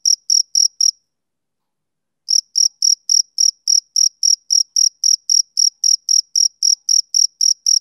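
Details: Male cricket chirping in a high, even pulse of about four short chirps per second, broken by a silent gap of over a second before the steady rhythm resumes; no other sounds.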